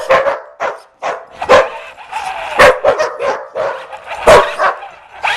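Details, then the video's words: Puppy chasing a remote-control car, giving excited high yips and barks in uneven clusters, with short whiny tones between bursts. "rc dog chase"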